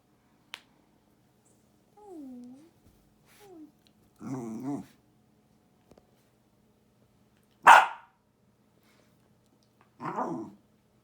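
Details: Pet Jack Russell Terrier 'talking' indoors: short, whiny, bending moans and grumbles come in separate bursts, with one sharp, loud, snort-like burst in between. A quiet room otherwise, with a faint click near the start.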